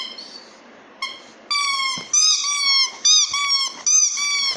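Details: A Golden retriever howls in high, wavering, drawn-out tones that imitate a siren.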